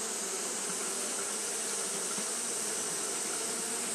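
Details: Japanese honey bees kept fanning through a hot day. Their wings make an unbroken, rough low-mid buzz, flat in loudness, under a persistent shrill hiss.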